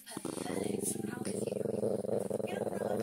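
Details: Dog making a funny noise as its neck is rubbed: a low, steady, throbbing purr-like groan that pulses rapidly and continues for about three seconds, with faint voices in the room.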